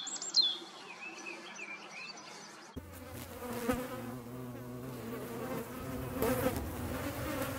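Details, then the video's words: European hornet in the Eifel countryside: bird chirps and whistles open the recording, then a loud, sudden low buzz takes over, humming steadily with rich overtones and shifting in pitch as the insect flies close. "Hornissen. Hornet"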